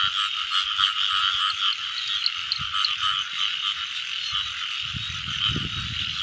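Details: Rain-season frog chorus heard while frogs are caught: many overlapping rapid croaks form a constant trilling drone, with scattered higher clicks and louder low thuds and rustling near the end.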